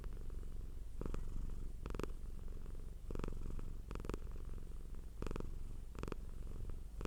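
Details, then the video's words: Purring house cat, a deep steady rumble with a fine rapid pulse throughout, interrupted every second or so by brief brighter bursts of sound. "Purring Cat sound for Relaxation"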